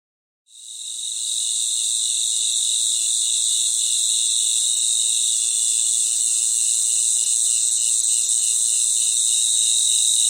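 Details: Night chorus of many crickets. After half a second of silence, a dense, steady high shimmer sets in, with a softer pulsing trill beneath it that beats several times a second. No other sounds.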